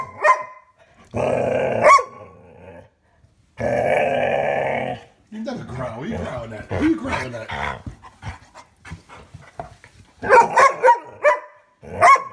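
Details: Rubble, a pet dog, barking and growling at his bone: long sustained growling rumbles, then a burst of rapid sharp barks, while a person talks to him in between.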